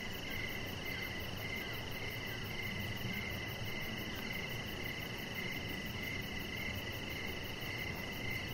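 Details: Outdoor crickets at evening, recorded beside a deck with a chihuahua puppy lying there. Regular high-pitched chirps come in quick, even pulses over an unbroken trilling band and low ambient hiss.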